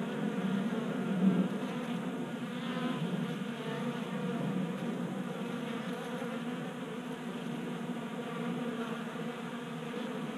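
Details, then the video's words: Honey bees feeding at a 3D printed table-top bee feeder in a garage in Colorado, active on a warm January day; steady dense buzzing hum of many bees, low droning tone with layered harmonics, fairly constant throughout. "Honey Bees Feasting from 3D Printed Bee Feeder"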